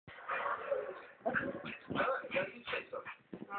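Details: Bailey, a four-month-old female pug puppy, protesting at being brushed; rapid bursts of snarling growls, yaps and whiny yelps tumble together in short irregular volleys.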